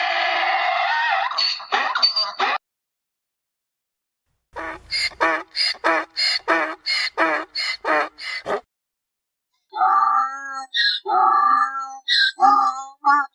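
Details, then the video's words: Mule braying in a long harmonic burst, then a rapid series of short pulsed honks. After a pause come rougher, lower honks, with quiet gaps between the bursts. "Tunog ng MOLA | Sound of MULE"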